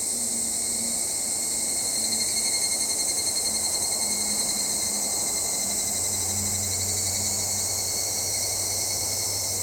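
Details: Evening cicada (Tanna japonensis, higurashi) shrilling: a steady high, ringing drone with a brief pulsing swell around the middle, low hum beneath.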